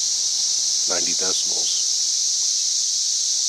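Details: Cicadas in trees sing a loud, steady, high-pitched buzzing drone reaching about 90+ decibels, recorded May 31, 2024.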